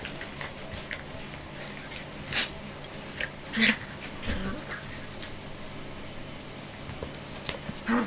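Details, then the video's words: Jessie, a five-month-old puppy, at play and enjoying attention; a few brief whimpering yips rise out of a steady background hiss, with one short harmonic whine near the middle and faint clicks and knocks around it. "Puppy play time (5 months old)"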